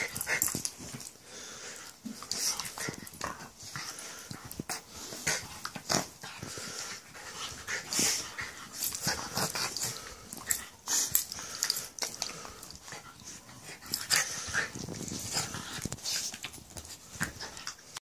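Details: Jack Russell and husky/staffy crossbreed at play indoors, keeping up a long run of wheezy panting huffs and scuffling growls, dense and irregular throughout, with a few louder snorting bursts midway.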